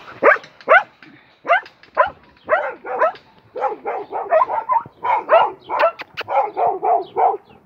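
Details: Dog barking in a long run: a few spaced, sharp barks at first, then a rapid, steady volley of yappy barks several per second, each with a bent, rising-falling tone.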